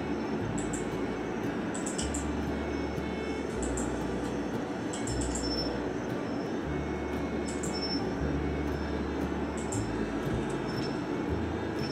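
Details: Soft instrumental music over steady broadband noise, with bright repeated chime-like notes high above.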